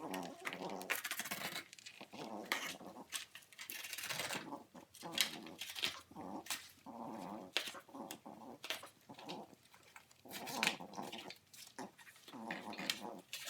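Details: Young French bulldog chewing and ripping a cardboard box, sped up as a time lapse; bursts of snorting grunts and low growls alternate with sharp tearing and crunching of cardboard, with a faint voice indoors.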